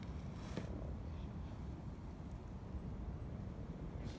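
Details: Mating common frogs in Oxford on 23 February, a very warm spring day after a cold snap, give a low, steady purring murmur, their spring mating call.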